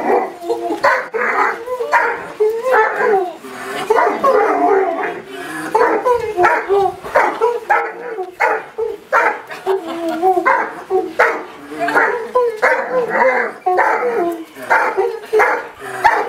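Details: Excited Irish Wolfhounds greeting owners returning after three months away, their "singing the blues" welcome: a sustained chorus of wavering howls, whines and sharp barks from more than one hound, pulsing with barely a pause.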